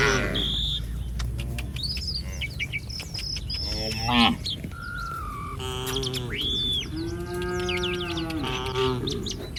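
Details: Moos from a herd of village cattle wandering along a street, several harmonic lowing calls between four and nine seconds, some rising then falling, mixed with frequent high bird chirps and a low background rumble.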